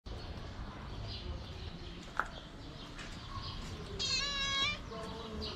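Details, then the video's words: Hungry stray cat, a feral cat on a tricycle, gives one drawn-out harmonic meow lasting under a second. Steady background noise and faint scattered sounds surround it. "The Cat Riding The Tricycle Was Cute And Hungry."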